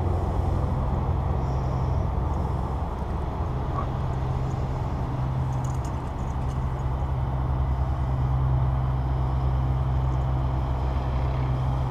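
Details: Continuous deep engine-like hum fills the recording, with only faint scattered noises above it and no animal voice.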